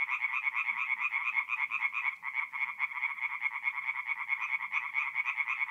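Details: Forest pond at night in mid-April, North-East Italy, with singing tree frogs: a loud, steady chorus of rapid rasping croaks repeated about twice a second by several overlapping frogs.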